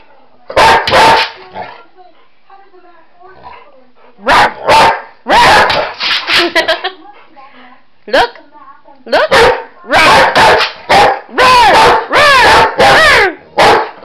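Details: Excited pet Boxer dog, playing at chasing shadows and flashlights, mixes abrupt barks with quivering, warbling yowls in quick, irregular runs, growing busier toward the end.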